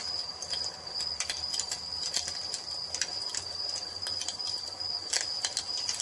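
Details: An unbroken shrill cricket trill at dusk, set against the snapping and popping of a fireplace. Bursts of crackling cluster near the start and the end.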